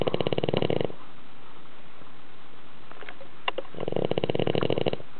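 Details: Pet dog asleep indoors, snoring as loudly as a grown man; one rattling snore fades out, a quiet stretch with a few faint clicks follows, then a second throbbing, harsh snore rises.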